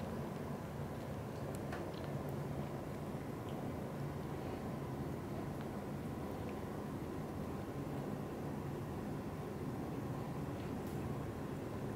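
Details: A steady low rumble like a passing vehicle or aircraft fills the whole stretch, with no animal voice.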